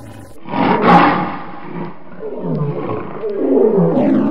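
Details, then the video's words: African lion roaring; a loud, deep, rasping roar bursts out, fades, then rumbles back in lower grunting swells. "African animal sounds: lion"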